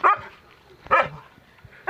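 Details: Gaddi puppy facing a fake lion in a prank, giving two sharp, high yips about a second apart, with quiet pauses between them.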